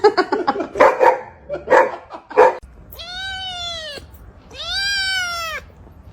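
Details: Domestic cat giving two drawn-out meows, each about a second long, that rise and then fall in an arch. Several short, rough, bark-like bursts come first.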